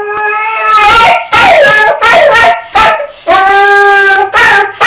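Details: Distressed dog Roscoe in an argyle sweater, left alone as his owner goes to work, gives long tonal wails broken by sliding, falling yelps, all loud and close.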